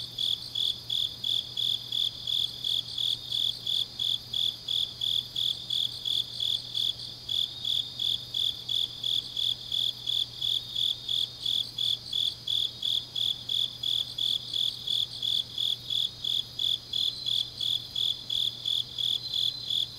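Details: Deep autumn night in Changnyeong, Gyeongnam: grass insects keep up a bright, high chirping in regular pulses near three per second, with intermittent rapid trills from other callers weaving above and a quiet low drone throughout.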